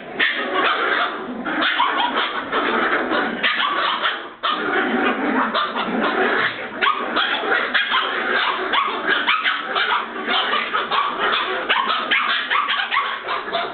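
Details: Border Terrier puppies (Bois Caiman) keep up a nearly unbroken din of high yaps and barks for about fourteen seconds, with one brief dip in the noise near the middle, while they 'do the cleaning'.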